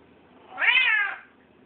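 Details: A Bengal cat gives a single clear meow that rises and then falls, lasting about half a second, while eating.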